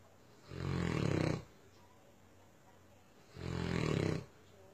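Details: Two long, heavy snores from Myah the Tosa Inu, each about a second of low, throaty rattling, separated by a quiet pause.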